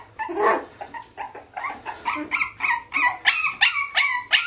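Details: Springer Spaniel x Jack Russell puppies, female Springer and male Jack Russell parents, let out quick high yelps that grow louder and sharper, roughly three each second.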